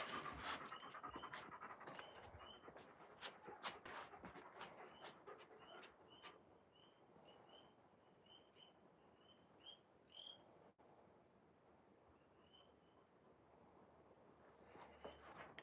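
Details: Raven, an Alaskan Malamute, outdoors, panting in quick, rhythmic breathy bursts that slow and fade toward the end, with short high squeaky notes recurring through the first half.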